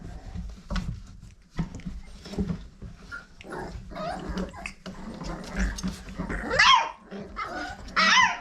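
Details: Old Family Red Nose Pit Bull puppies, five weeks old, litter of Abby and Ragnar, in a small room; two short high whining yelps near the end follow a stretch of shuffling and faint murmurs.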